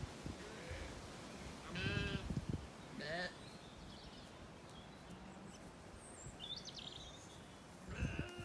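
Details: Zwartbles lambs after weaning, settled in an orchard on a County Kilkenny farm in Ireland at evening; a few short, quavering bleats from the flock over quiet outdoor background noise, with a last bleat near the close.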